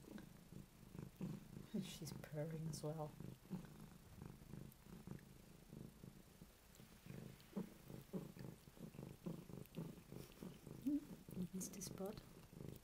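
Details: Female house cat purring steadily while cleaning her own bed, a low rapid rumble of regular pulses throughout, with brief voice-like sounds in the background.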